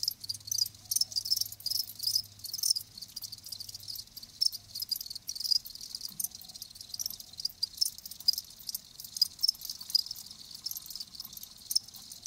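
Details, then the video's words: Live crickets produce a dense, continuous stream of high chirping pulses, with a low hum present during the first few seconds. "Live Crickets 60min "Natural Sound""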